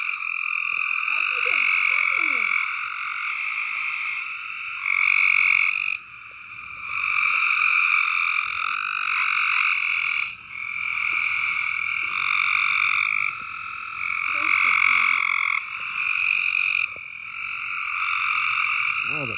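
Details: Loud frogs in a massed chorus, a constant high trilling drone that swells and dips in bursts every few seconds, with brief sliding squeaky notes standing out from the wall of calls.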